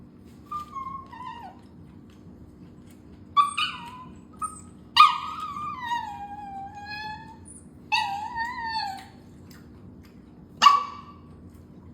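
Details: Chinese rural dog, a small pet indoors, so eager for food it seems to talk: a series of high, tonal whines and yelps, several gliding slowly downward, coming in short bursts every one to three seconds over a steady low hum.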